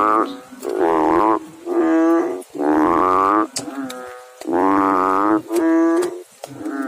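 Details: A frog in water calls with a series of low, resonant, humming croaks, each lasting around a second, in a steady sequence with brief gaps between them.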